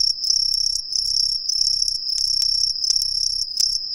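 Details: Green tree crickets singing from street trees in a residential area of Ehime, Japan, several calling all around: a loud, continuous high shrill trill with pulsing chirps layered on top.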